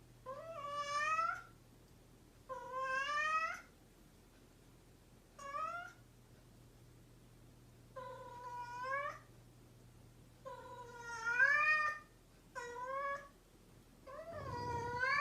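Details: Persistent meowing from a house cat: seven insistent meows in quick succession, each about a second long and rising in pitch toward the end, ending with a low rumbling noise.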